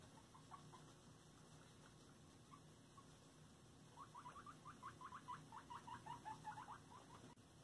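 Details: Pet guinea pigs during floor time indoors: a few soft, scattered squeaks at first, then a rapid, uneven run of short rising squeaks in the second half, all fairly quiet over a steady low room hum.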